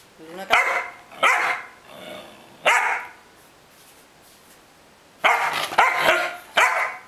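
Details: Luna the dog, unwilling to leave the bed, barks in loud rasping bursts, three in the first three seconds, a quiet pause, then a rapid cluster of four, while a person calls her name and says "kato".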